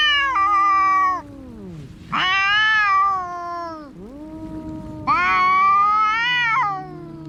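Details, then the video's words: Cats in a fight: three harsh, sustained wailing yowls with stepped pitch drops, interspersed with low, sagging growl-moans. "Som de gatos brigando"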